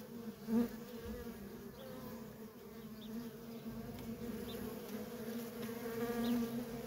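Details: Honey bee workers crowding around a feral colony make a steady low buzzing drone, with one bee swelling loud close by early on and a few faint high chirps scattered in the background.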